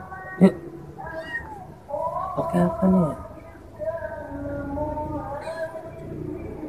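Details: Village kitten trapped after slipping down into a hole, meowing repeatedly: a sharp short cry, then several drawn-out wavering meows with arched pitch, some overlapping, against soft background music.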